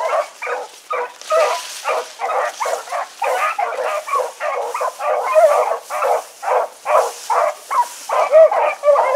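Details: Evening run of a four-dog pack, Choco, Dino, Johnny Ringo and Mingo, 16 August 2014; dense chorus of barking and baying, voices overlapping without pause throughout.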